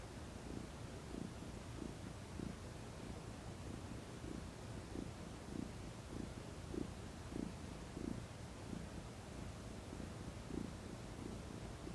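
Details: Female domestic cat relaxing in the sunshine, purring contentedly; a low throbbing rumble with regular breath pulses about every half second, steady throughout.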